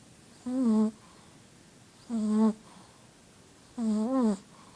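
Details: A sleeping female Shih Tzu snores with short, nasal, humming tones repeated about every second and a half.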